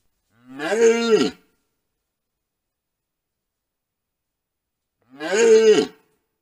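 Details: Red deer stags roaring at a wallow during the rut, filmed by a camera trap: two harsh, drawn-out roars of about one second each, rising then falling, separated by roughly four seconds of silence.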